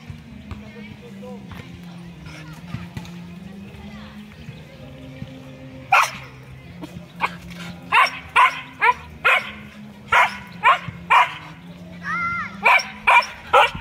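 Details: A Siberian Husky acting as a guard dog lets loose a run of loud, sharp barks, about two a second and irregularly spaced. They follow several seconds of low murmuring voices and soft background tones.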